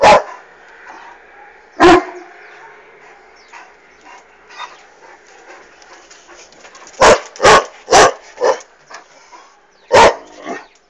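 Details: Irish Wolfhound reacting to a passing hot air balloon with loud, deep barks: two isolated barks, then a rapid burst of about five, followed by one more, with faint background rustle between.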